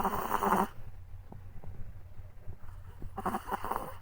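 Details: Chihuahua puppy deep asleep after a walk, snoring with soft, low, rasping breaths in a slow, uneven rhythm. Louder broadband rustling bursts come at the start and again near the end.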